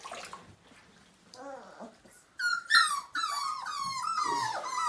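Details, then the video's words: Five-week-old Siberian Husky puppy during its first bath indoors: after a quiet, muffled start, high shrill whimpers break out, sliding downward and repeating in quick uneven bursts over the last half. "Siberian Husky Puppy First Bath: 5 Weeks Old"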